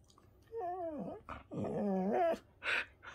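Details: Shetland Sheepdog in an affectionate mood, suddenly turning playful: drawn-out whining cries that bend up and down in pitch, two longer wavering whines followed by a brief higher yelp-like sound.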